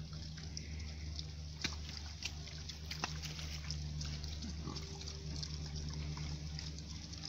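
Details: British Saddleback pigs at Haigh Country Park give low, rumbling grunts over a steady low hum, with faint trickling water and a few sharp knocks.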